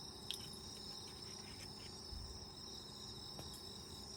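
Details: Insects of autumn singing outside an open tent during countryside camping: overlapping high, even trills and rapid pulsed chirps, with a brief click near the start and a low thump in the middle.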